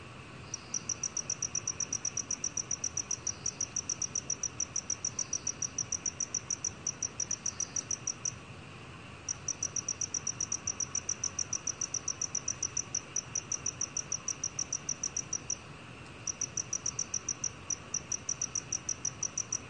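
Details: Black cricket, 2020 national biological resources recording, producing sustained trains of rapid high-pitched chirps with a few brief pauses, plus faint softer chirps from another insect and a constant low hiss.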